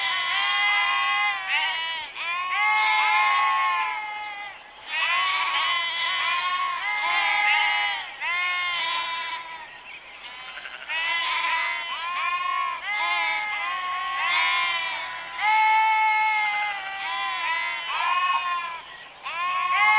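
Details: Steady chorus of sheep bleats, many voices crowding one another with wavering, nasal cries that rise and fall in loudness, with barely a gap throughout.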